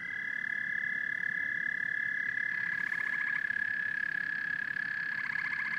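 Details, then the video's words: A constant high trill from a frog and toad chorus, joined twice by rapid pulsed, rattling calls that repeat in quick bursts. "Frogs and Toads Symphony"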